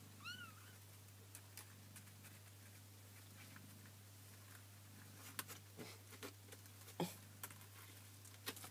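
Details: Kitten meowing indoors: one short high mew with stacked harmonics near the start, then quiet with scattered clicks, rustles and handling taps, and a steady low electrical hum throughout.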